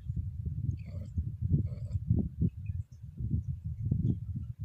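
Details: Female Scottish Fold cat in heat, moaning low in her throat as she is lightly stroked; a deep, rumbling, pulsing murmur continues throughout, with a few brief brighter rasps near the second mark.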